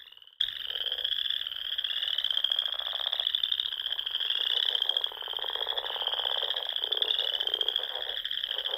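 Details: At dusk in spring, a frog chorus rises from the Sandhills lakes of Nebraska. After a brief near-silent opening, a continuous shrill trill takes over, broken by low rattling croak bursts.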